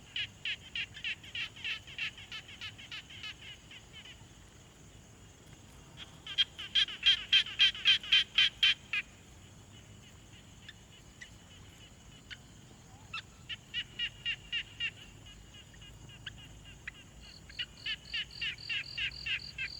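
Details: Quiet pond at night-like stillness with frogs, recorded on a Tascam Portacapture X6: bursts of fast, rattling note trains separated by quiet gaps, the loudest burst early on, and a thinner, higher series near the close.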